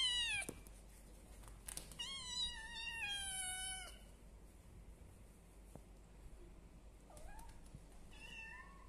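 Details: One-month-old kittens, three in the litter, kept with a village cat and a Persian cat, mew loudly: a falling cry, then a long chain of steady high meows, and after a pause a softer dip and a final rising call.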